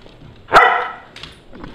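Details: Pet dogs in a backyard on June 30, 2011, barking at a squirrel on an electrical high wire, recorded with a Nikon D7000: one sharp, loud bark, then faint softer sounds trailing after in a quiet setting.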